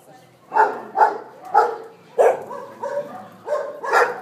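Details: Many dogs in a shelter holding 600 dogs in Seville, Spain, barking in overlapping bursts, about one bark every half second, sharp and mid-pitched with a noisy chorus behind.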